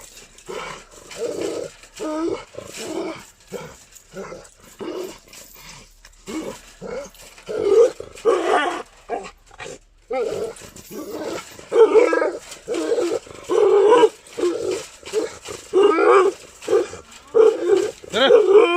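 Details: Gultair dog from Pakistan, a breed called aggressive and dangerous, barking repeatedly in deep, rough bursts roughly every half second, with a brief pause mid-way before the barking grows louder and faster.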